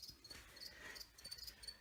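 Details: Very small feeder crickets kept indoors as food for a young veiled chameleon give soft, high, scratchy chirps in short repeated bursts. The sound is faint in a quiet room.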